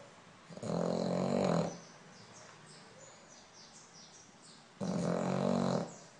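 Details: Sleeping French Bulldog snoring, two long rasping snores roughly four seconds apart, with a quiet indoor hiss between breaths.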